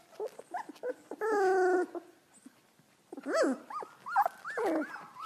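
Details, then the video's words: Golden Retriever puppies from one litter learning to howl: a short, steady, slightly falling howl, then a run of quick arched yelps and squeaky whimpers with short pauses between them. "Litter of puppies adorably learn how to howl"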